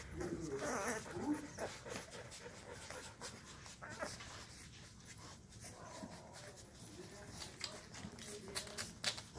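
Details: Llewellin Setter puppies, 2.5 weeks old, in their box one evening after their mother came in and stirred them up, finding their voices: short high yips and whimpers early on, then rustling and scrabbling of active pups.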